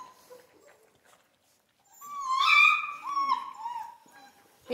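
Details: Central Asian Shepherd puppies in Michigan: after near silence, one drawn-out, tonal, harmonic whine rises and wavers for about two seconds, followed by a shorter falling whine, with faint human voice around it.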